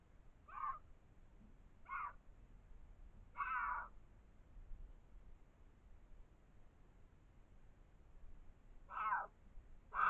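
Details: A pair of mountain lions visiting an abandoned mine entrance in the Tucson Mountains, caught on trail camera: short, cat-like mewing calls, spaced irregularly over a low background rumble.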